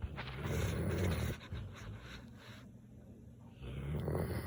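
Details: Samoyed snoring: deep rumbling snore at the start, a quieter gap, then another low grumbling breath building at the end, all in close, low-pitched bursts.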